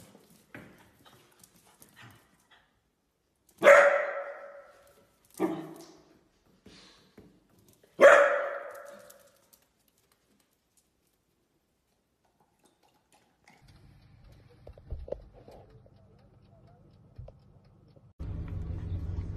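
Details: Playing dachshund; three loud, sharp barks a couple of seconds apart, with softer yips and small sounds around them, then quiet rustling and a burst of music at the end.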